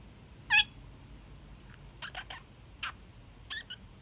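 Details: Pet kakariki, a young male, during his daily evening honking: one loud harsh honk early, followed by softer scattered chattering notes over a quiet indoor background.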